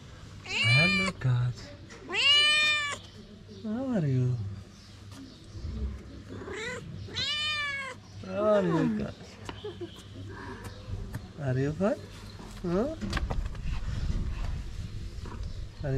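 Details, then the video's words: Hungry stray mother cat in Morocco asking for food so she can nurse her kittens: a run of loud, arching meows rising then falling, several close together and spaced a few seconds apart, with human voices and street noise behind. "A hungry mother cat tells us that she needs food to provide milk for her kittens."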